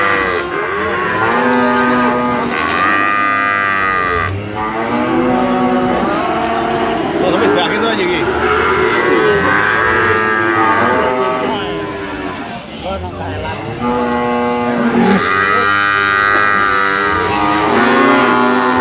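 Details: Brahman bulls moo continuously, many overlapping drawn-out calls with arching pitch, louder bursts near the start and end.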